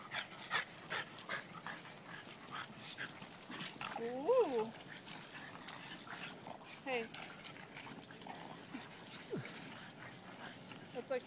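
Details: Boston Terriers at a dog party, a group named Zazu, Stitch, Baloney, Dixie, Gypsy and Bones, playing together; a wavering whimpering whine near the middle, short yips and scattered clicks and scuffles, with human voices in the background.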